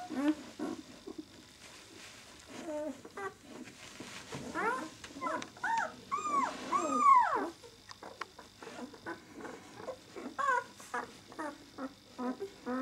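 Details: Six-day-old White German Shepherd puppies of the "of White Night" B litter: a run of high, arching squeals and whines, several overlapping and loudest midway, then thinning to short, scattered squeaks.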